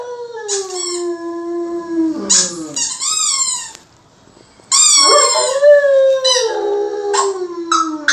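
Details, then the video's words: German Shepherd, a male pet dog, howling along to a squeaky toy: long, sliding, harmonic wails that drift slowly downward, alternating with sharp high squeaks of the toy and a brief silent gap. "German Shepherd howling"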